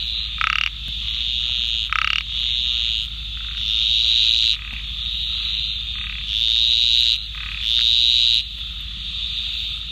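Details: A laterite narrow-mouthed frog (Microhyla laterite) of India gives high, insect-like buzzing calls over a steady shrill chorus.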